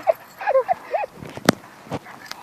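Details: Yorkipoo at play time giving four or five short, high whimpering yips with curved, squeaky pitch in the first second, followed by scattered sharp taps and clicks against a quiet background.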